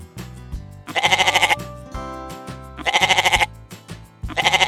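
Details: Loud, quavering goat bleats come three times, each roughly half a second long with a fast pulsing vibrato, spaced a second or more apart, while cheerful background music plays throughout.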